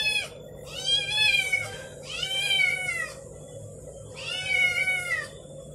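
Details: Domestic kittens howling while another cat named Damri eats an egg; three long drawn-out wailing meows with rich harmonics, each about a second long, rising then falling, separated by short pauses over a steady low hum.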